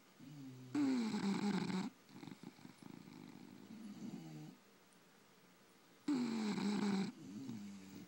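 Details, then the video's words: Sleeping bulldogs, several kept as pets, snore indoors: two loud, harsh, rattling snores about five seconds apart, each lasting roughly a second, with softer wheezy breathing in between. "Snoring bullies!"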